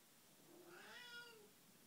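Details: Elderly house cat with Alzheimer's giving a 6 am wake-up call indoors: a single drawn-out, faint meow that rises then slides down over about one second, with quiet room hiss around it.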